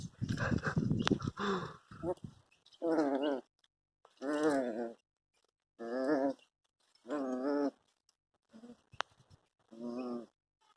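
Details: Labrador Retriever puppy during its first bath, giving a series of wavering, harmonic whining cries about every one to one and a half seconds, with a man's voice and splashing at the start.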